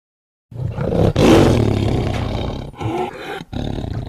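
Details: One loud, deep, rasping tiger roar swells quickly, holds with a throaty rumble, then breaks into a few shorter grunting pulses near the end.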